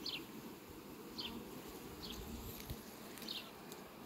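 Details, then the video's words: Farm bees buzzing around sunflowers in July 2021, a constant low hum beneath a handful of sharp, high falling bird chirps spaced about a second apart. "un zbor frumos al albinelor la floarea-soarelui!"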